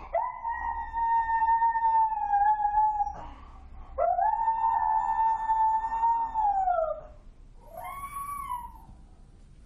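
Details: Dog. A dog howls in long, sustained, high tones that hold steady, then fall away, with a brief rising howl at the end. The abnormally high pitch marks distress, the dog signalling that it feels in danger.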